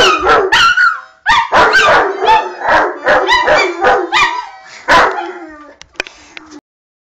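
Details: A Rottweiler, howling alongside a fox terrier because a child is playing the harmonica, gives a run of short, wavering, tuneful cries that rise and fall.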